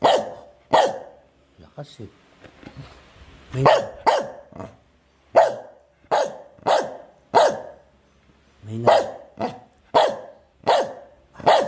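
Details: Medium dog barking repeatedly while being trained, irregular bursts of short sharp barks, some in quick pairs, with a person's voice speaking between them.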